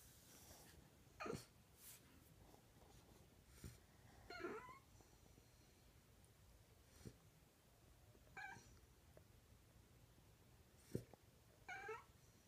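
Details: A French Bulldog, scared of the vacuum cleaner its ball is near, gives short, wavering whines, asking its owner to retrieve the ball.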